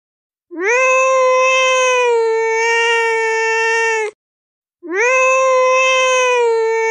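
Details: Cat in the water crying for help: two long, loud, steady meows, the first about three and a half seconds, the second following after a short pause, each rising at the start and then holding a level tone.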